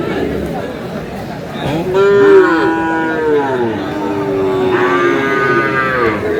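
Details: Cattle at a market in Kurigram, Bangladesh, where a farmer buys a Sahiwal bull, 5 May. Long, drawn-out lowing begins near two seconds and carries on in overlapping bellows over steady crowd chatter.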